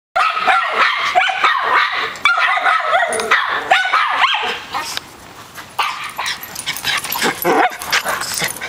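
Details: Dogs at play outside around a pool in Austin: a white chihuahua, a miniature schnauzer on his first day, and a poodle-mix sister joining in. A fast run of sharp, high barks fills the first five seconds, then scattered yips and splashy background noise.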